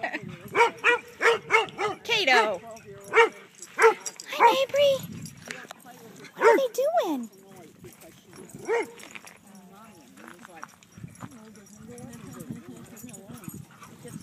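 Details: Kaido, a dog at a dog park, barks to invite other dogs to chase him: a burst of sharp, evenly spaced barks in the first five seconds, then a woman talking over quieter park background.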